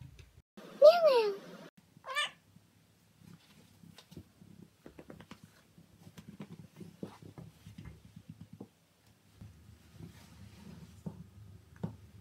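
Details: A male Siamese cat gives one loud, drawn-out meow that wavers up and down, then a brief second cry, followed by several seconds of soft low rustling and light tapping.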